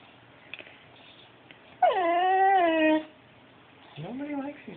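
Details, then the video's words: Talking dog giving a drawn-out, tonal, whine-like vocalization of about one second that dips, holds, and falls away. A shorter rising-then-falling call follows after a pause. The background is otherwise quiet. "Talking dog."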